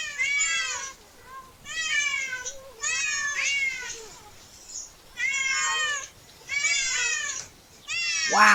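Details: Several cats at a park while a family with a child enjoys the outing; about six drawn-out, wavering meows, roughly one each second or so, with quiet gaps and a sharp rising squeal at the end.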